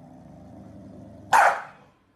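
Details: Corgi letting out one sudden, loud, harsh bark after a second of quiet hum, the sound cutting off quickly.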